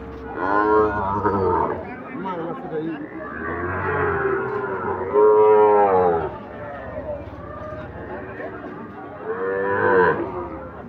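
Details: Repeated lowing from Sahiwal bull calves traded at Ambari haat, a market open Fridays and Mondays: four rich, harmonic moos spaced a few seconds apart, each swelling then fading, amid crowd chatter.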